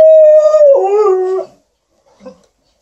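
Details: Alaskan Malamute Liza and Golden Retriever TJ entertaining their owner with "talk" while she irons at home; one long, steady howl that dips lower halfway through, then a brief soft grumble after a pause.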